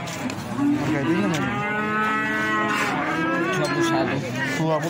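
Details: Feeder cattle at the Plaosan cattle market in Magetan, lowing in long drawn, steady tones beneath constant overlapping talk from traders and bystanders, with market crowd noise throughout.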